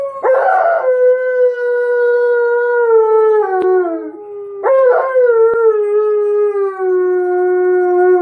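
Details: Pet dog Tonka joins its owner in a howl. Two sustained, steady tones each open with a rough, wavering onset and then slowly fall in pitch. Soft music plays in the background.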